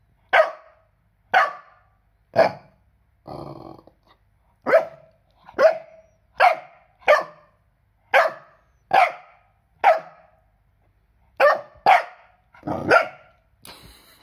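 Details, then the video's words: A 4-month-old Cardigan Welsh Corgi puppy barks repeatedly, with sharp, high-pitched yaps about once a second. "Barking Cardigan Welsh Corgi - 4 Months Puppy"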